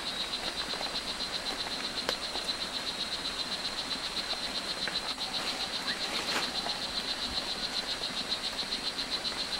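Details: Strawberry poison dart frog, O. pumilio, at Hitoy Cerere Biological Reserve, Costa Rica: a long, steady run of short high buzzy chirps, about four per second, over a constant hiss of forest background with occasional clicks.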